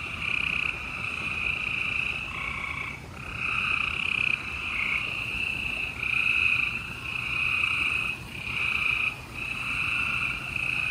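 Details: Many gray treefrogs calling together at night in Houston, Texas, April 28, 2020; long overlapping trills of a few seconds each, broken by brief gaps, make a dense high-pitched pulsing chorus.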